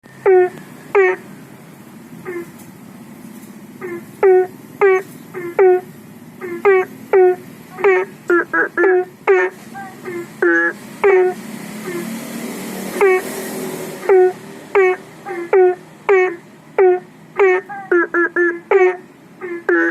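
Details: Belentung frogs calling for rain at night from a fish pond and aviary pond beside a public road, phone-recorded: short nasal upswept notes repeated at irregular one-second intervals, several frogs alternating, faint passing traffic.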